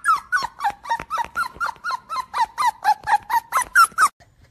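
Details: Wounded puppy crying in a rapid series of high, sharp yelps, about sixteen in four seconds at a fairly even pace, each yelp bending downward, ending abruptly in quiet.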